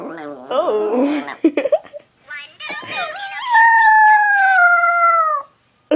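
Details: Female pet dog with her toy billy goat, indoors, gurgling: wavering, warbling vocal sounds, then a long steady whine-like note held for about two seconds before breaking off, with a woman's voice early on.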